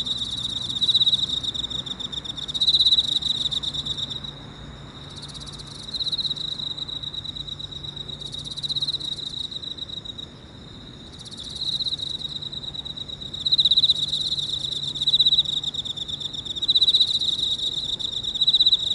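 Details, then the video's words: An Emma field cricket calls from inside a hole in a park early in the morning (6:54, 30 August 2018), chirping steadily in a clear high trill pulsing in short repeated bursts. "早朝の公園の穴の中で鳴いているエンマコオロギ"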